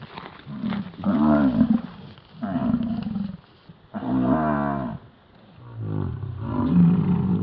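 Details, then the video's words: American bison bellowing during the rut in Yellowstone: deep, rough, roaring calls with a rich harmonic stack, several bursts of about a second each separated by short pauses. "Sounds of the Yellowstone Bison Rut"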